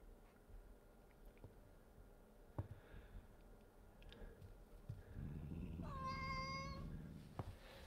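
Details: Orange domestic cat indoors, shoving his rear into another cat's face, gives a single steady, level meow under a second long near the end, after soft low rumbling, with faint room noise and scattered clicks.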